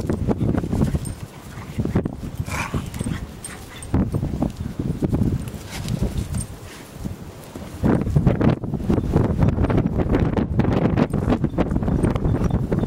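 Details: Two pet dogs, a Weimaraner and a collie, playing roughly together in snow for the first time; short yips and whimpers break through loud, low scuffling and crunching, with a few brief barks between bursts of rough play.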